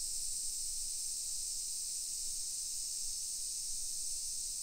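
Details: Summer cicadas in a modern hillside residential neighbourhood of Nisshin city, suburban Nagoya, Aichi Prefecture, Japan, at 1 PM on 28 July 2021: an unbroken, high, hissing drone holding steady throughout with no audible pulses or pauses.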